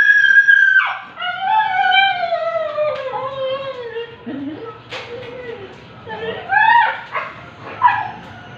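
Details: Siberian Husky at an artificial insemination session letting out a long wavering howl-like whine that falls slowly in pitch over three seconds, followed by shorter whimpers and yelps, with a voice nearby.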